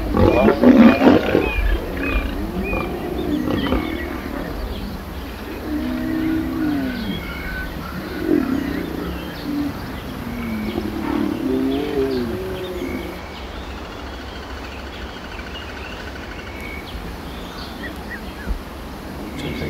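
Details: Male and female lion in a mating ritual at close range; a loud growl opens, then a series of wavering, moaning low calls over the first half, fading to quieter rumbling with a faint steady hum behind.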